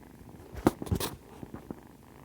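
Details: Kittens purr softly while nursing, a low steady rumble broken by a few sharp close-up clicks and rustles.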